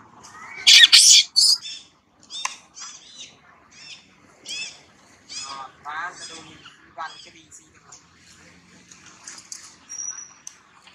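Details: Baby monkey Polino crying loudly in pain after being bitten by another monkey, Maria: a sudden harsh, shrill scream, then a string of short, high, wavering cries repeated about every half second and fading into quieter whimpers.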